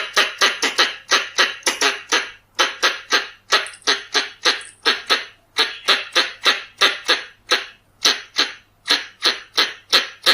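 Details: Pallas's squirrel (red-bellied squirrel) call used as a lure: harsh, broadband chucking notes repeated steadily, about three per second, for the whole stretch, with a faint low hum underneath.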